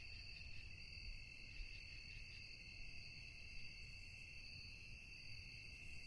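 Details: Crickets chirring at night in an even, continuous high ringing trill with a fine rapid pulse, over low-frequency background rumble.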